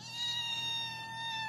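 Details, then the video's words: Female kitten seeking attention and petting, holding a long, steady, tonal meow without a break. A faint low hum is in the background, and a short thump comes at the end. "Purring and meowing kitten"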